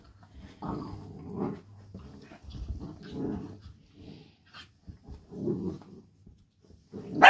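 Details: Two Dachshunds in rough and tumble play, talking to each other with repeated throaty growling bursts and grumbles of about a second each, separated by short pauses, ending in a sudden loud yelping bark.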